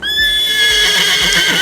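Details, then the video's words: Horse whinny, described as a social call meaning 'where are my friends?', one of four vocal communications between horses, distinct for each individual; a loud, bright, sustained tone with strong high overtones, holding steady over about 1.7 seconds. "Horse Vocal Communication"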